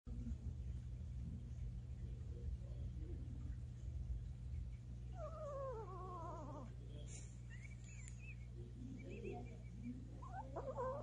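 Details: Seven-year-old male Maltese making sounds while napping, likened to a horse: a few faint, descending, whiny harmonic cries come midway, over a steady low hum.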